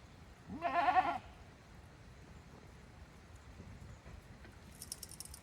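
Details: Goats at Yoshigake goat farm, a handmade farm, heading back to their pens on their own on 5 December 2023; one loud wavering bleat about half a second long, followed by quiet background and a brief metallic jangle.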